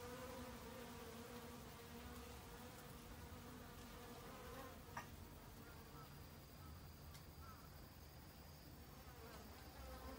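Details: Busy autumn honey bees seeking winter food stores, their wings giving a steady humming drone with clear layered overtones, swelling and fading as individuals pass, plus a sharp click near the midpoint.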